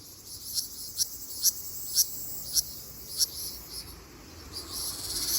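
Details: Ryukyu large brown cicada in an Okinawa forest in mid-June. Sharp, high ticks repeat roughly every half second over a soft, hissing background.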